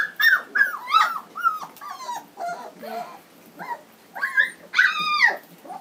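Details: Three-week-old Standard Poodle puppies from a 2012 home-raised litter in Lodge Grass, Montana, squealing together in overlapping high, wavering whines, some bending downward, others yelping sharply, loud and nearly continuous.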